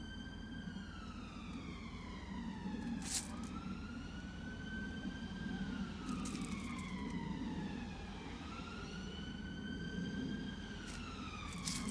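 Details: An emergency siren slowly wails up and down over low background rumble, with a few short crackling bursts and no animal voice.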